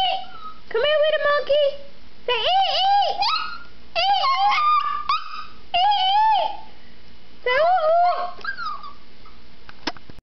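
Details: Chihuahua; howl; answering a person's imitated monkey sounds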